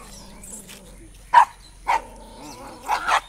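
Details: An Indian Spitz barking at another Indian Spitz: three sharp, separate barks at roughly half-second to one-second gaps, the last a quick double bark, over a quiet steady background hum.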